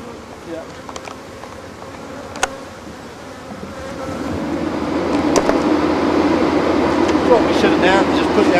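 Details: African honey bees during removal of a hive, many disturbed insects droning in a dense buzz that swells louder over the second half, with scattered knocks and men talking nearby.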